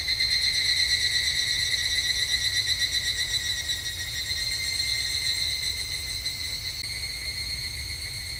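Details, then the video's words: Evening cicada calling at a temple in Japan in summer: a loud, high ringing trill with strong overtones, pulsing rapidly in waves that swell early and slowly fade toward the end. "日本の夏～お寺とひぐらしの鳴き声Japanese Summer Temple and Evening Cicada"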